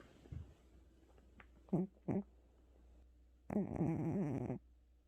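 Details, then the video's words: Pet cat, worn out after a trip to the vet, snoring indoors: two short low snorts followed by a longer rattling breath lasting about a second. "고양이 코골이"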